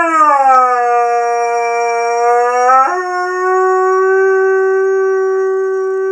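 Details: Young male Curly-coated Retriever howling, as he does when female dogs are in high season: one long, steady, harmonic-rich howl that dips slightly lower, then jumps to a higher pitch after three seconds and holds level to the end, with a faint high whine behind.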